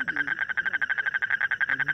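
A frog gives a fast, steady run of rattling pulses, about a dozen each second, with a voice at the edges.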